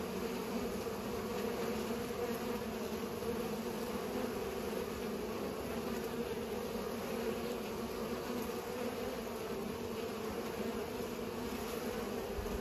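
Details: Constant humming of pollinating bees, a dense low buzz that never pauses, steady in loudness throughout, with a slight thump at the very end.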